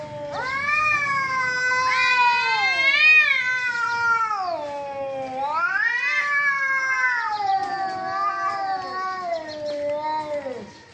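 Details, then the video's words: Cats in a fight make a continuous loud caterwaul, sliding up and down in slow swoops, strained and harmonic-rich, without pause for about ten seconds. "Cats Fighting with real sound"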